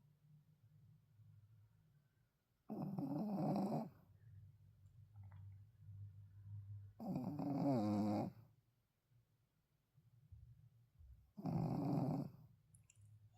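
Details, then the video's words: A tired Shih Tzu asleep indoors snores in three long, rough, rasping breaths roughly four seconds apart, with a soft low hum between them. "잘 들어보세요 피곤한가봐요^^"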